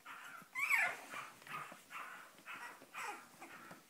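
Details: Cavalier King Charles Spaniel puppies from a litter born 7 April 2014 in Spain, wanting to get out: a run of high, urgent whining yelps repeated about every half second, with a woman's exclamations nearby.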